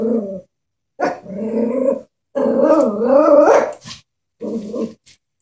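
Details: Frightened Chihuahua facing a stuffed toy horse: steady low growls that rise into a wavering, whining snarl, then a final short growl after a pause.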